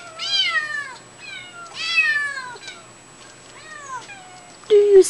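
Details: Domestic kittens calling for their mother inside a small room, giving a string of high, drawn-out meows that slide downward, about four calls over five seconds, followed by a woman speaking softly.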